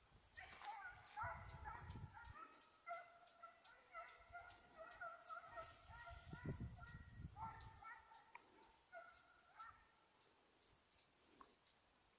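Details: Petit Basset Griffon Vendéen in pursuit of a rabbit, recorded 05/10/2014: continuous excited baying, ringing yelps tumbling over each other about twice a second, with crashing undergrowth and thuds of movement nearby.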